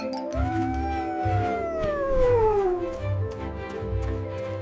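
A coyote gives one long, smooth howl that holds briefly and then slides steadily downward for about two and a half seconds, over a pulsing low music beat.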